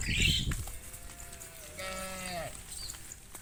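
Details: Tame cows walking behind their herder back toward the farm pen at sunset in a cool evening breeze. A brief noisy burst comes first, then a single short, low, steady moo that falls in pitch at its end, over faint rustling.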